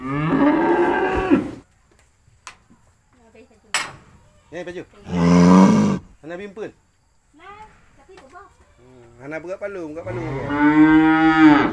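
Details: Cattle grazing on grass at a cowshed low in long, deep, harmonic moos, several drawn-out calls separated by brief quiet stretches.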